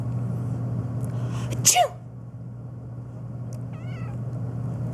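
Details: Phoebe the black cat reacting to a sneeze: a loud sharp burst blends with a brief downward meow, then a short wavering meow follows two seconds later against a low steady hum.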